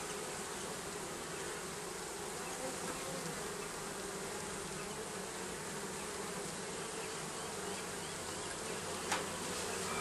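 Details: Continuous swarm-like buzzing of bees nesting under roofing, a broad even drone with no pauses, one brief tap near the end.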